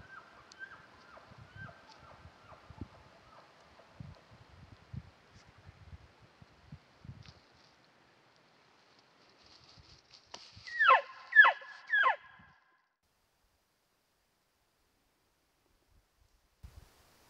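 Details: During the peak rut, at night on a mountainside near a wallow, a big bull elk bugles: a faint high whistle, then three loud, sliding, descending squeals.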